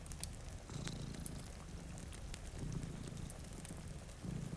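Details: Purring from two cats dozing in front of a rain-streaked window near a crackling fire: a deep, throbbing rumble rising in brief surges, with snapping embers and a gentle patter of rain behind.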